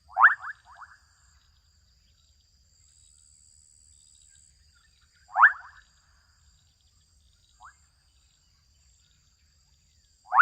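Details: Adolescent frogs calling in a Kenyan wetland, a loud raspy burst of rapid rising pulses repeated about every five seconds, with one faint short chirp between, set against near silence and a thin continuous high hum.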